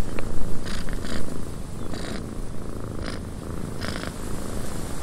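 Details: Domestic cat purring indoors in a windy cabin: a low, steady rumbling purr pulsing several times a second, broken by short bursts of hissing gusts.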